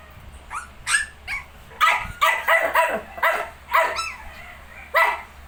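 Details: Shih Tzu with puppies 19 days old: a busy run of about ten high, arched yips and squeaky barks in quick irregular bursts, some overlapping, over a faint steady low hum.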